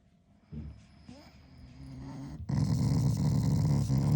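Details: Shiba Inu growling affectionately at its owner, not angry; quiet low grumbles at first, then a loud sustained low growl from about halfway through.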